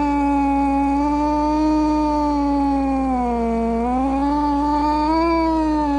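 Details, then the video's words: Angry domestic cat giving one long, steady, low moaning yowl that holds its pitch for about six seconds, dips briefly near the middle, then rises slightly again; rich in overtones, with a faint constant hum underneath. "Cat Sounds | Cat Meow Sounds, Snarling Sounds, Hissing Sounds | The Sounds a Cat Makes"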